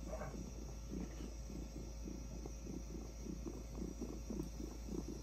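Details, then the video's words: Orange tabby cat purring while being petted on the head: a soft, low, rumbling purr pulsing in steady rhythmic bursts, about two a second, over faint background hum. "Purring orange tabby cat"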